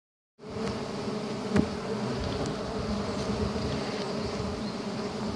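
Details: Giant honey bees (Apis dorsata) during wild honey hunting: a dense, steady swarm buzz with droning bands around a few hundred, continuous throughout, with a sharp click or knock near the middle.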